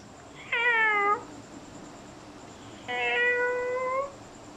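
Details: Pet cat giving two drawn-out, harmonic meows, each about a second long, with a quiet pause between them and a faint steady background hum.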